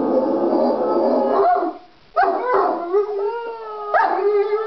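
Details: Howling duet of a Jack Russell named Uther and an Irish Wolfhound named Galahad wanting a walk: a dense sustained wail, a short pause, then bending, gliding howls that swell again.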